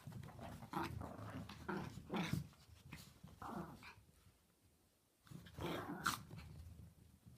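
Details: Pet Chihuahuas having fun together indoors: rough growls and short harsh yaps come in bursts, then a pause of about a second, then a louder snarling burst, with scuffling throughout.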